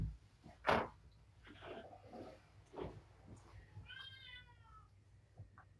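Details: Kittens at dinnertime, being fed while one is helped to make weight; a single rising-falling meow near the end, with rustling, thumps and a woman's voice earlier.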